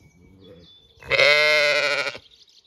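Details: A Zwartbles lamb on an Irish regenerative farm in County Kilkenny, near its breakfasting mother. One strong, sustained bleat lasts about a second, rich and slightly wavering, after a faint low murmur.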